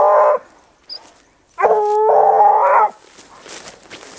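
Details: Dogs of a pack tracking wild boar give sustained harmonic howls: a short burst, then a held, slightly wavering howl of about a second and a half, with quieter outdoor noise afterward.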